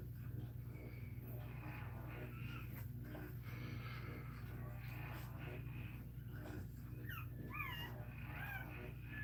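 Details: A Cane Corso cries while another dog, Cashmere, is in labour: thin, high whines that rise and curl downward in short bursts, most clustered near the end, over a steady low electrical hum and faint voices.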